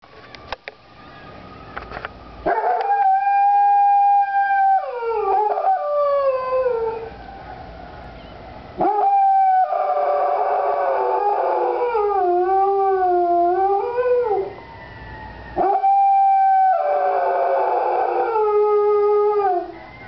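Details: Doodle, a pet dog, howling in response to fire truck sirens: three long wavering howls with rich stacked harmonics, each bending and dipping in pitch before trailing off, separated by short silences.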